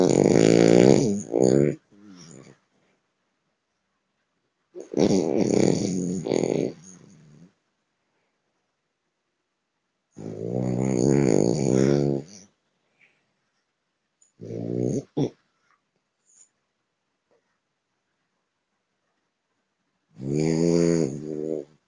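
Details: Sleeping French Bulldog, a male eleven months old living in São Paulo, Brazil, snores steadily: loud, rattling, buzzy inhalations lasting about two seconds, recurring roughly every five seconds with silence between.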